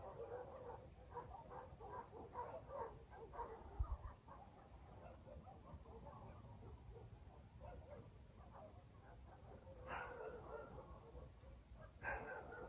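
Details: Dogs barking at night in a village in the countryside; distant, muffled barks come in loose runs through the first half, then two sharper, louder barks near the end over a low rural night hum.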